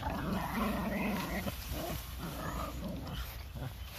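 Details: Four Boston Terriers playing together, growling with low, rough rumbles and short harmonic snarls rising over a noisy background.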